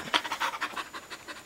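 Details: A Samoyed husky mix pants between tricks such as roll over and high five; rapid rhythmic breathy huffs, roughly six per second, steady throughout, with a trainer's voice giving commands.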